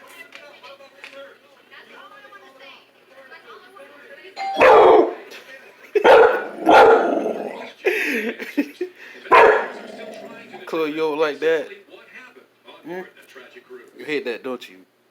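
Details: Pet dog indoors reacting to the doorbell: ding-dong chimes, then loud wavering, high screaming yowls in several bursts, with people talking and calling the dog to sit.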